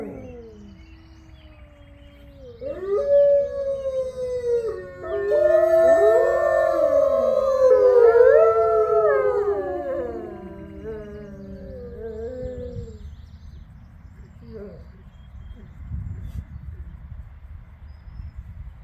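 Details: Captive-born gray wolves howling together as a pack, neighbouring enclosures joining in: voices gradually swell into a loud chorus of rising, falling and crossing howls, peaking mid-clip, then trailing off into quiet background.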